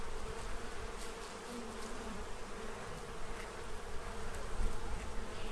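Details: A crowd of bees at a feeding tray in Central Illinois, fattening up for winter, produces a deep rumbling hum with passing individual buzzes rising and fading.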